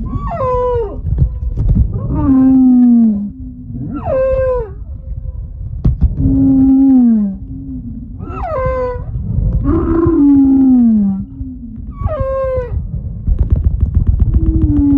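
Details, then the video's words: Humpback whale recorded at Moorea in September 2023. It gives a snoring series of moaning tonal calls. Rich harmonic downsweeps alternate with lower drawn-out sliding groans, roughly every two seconds, over a steady low rumble of water. "Snoring Humpback Whale"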